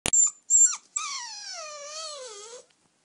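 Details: Eight-week-old puppy that wants to sleep in the bed: two short high squeaks, then one long wavering whine held for nearly two seconds, sliding gently down and up before fading.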